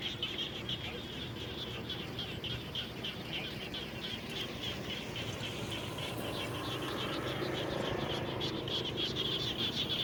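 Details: Chorus of frogs near a house after rainfall, many callers giving quick high chirping pulses at about three per second, layered over constant low background noise that swells slightly toward the end.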